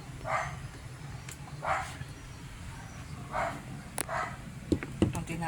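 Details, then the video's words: Siberian Husky dogs at home giving short, broad, muffled barks, four of them spaced about one to two seconds apart, while a woman talks nearby and sharp clicks or claps sound near the end. "Ingay ng branded na mga aso Husky"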